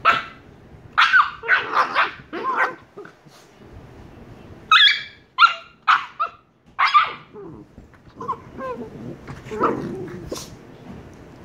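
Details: Two 114-day-old Shiba Inu puppies give sharp, high yips and short barks in quick bursts.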